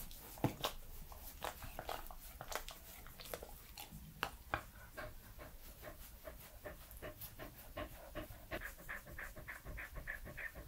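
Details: Three-year-old Pembroke Welsh Corgi Edmundo recorded close indoors, mouth sounds: sharp wet smacks and licks at first, giving way to steady soft breathy panting with quiet clicks, over low room hum.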